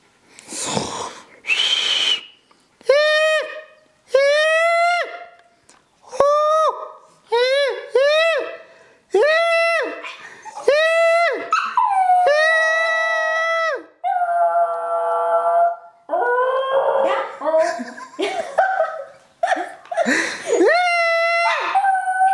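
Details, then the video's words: Puppy howling on demand: a series of short, steady, clear-toned howls, most under a second long, repeated with brief gaps, with a longer overlapping wavering stretch near the middle and a few breathy sounds at the start. "How To Make my Dog Howl Puppy's cute howling"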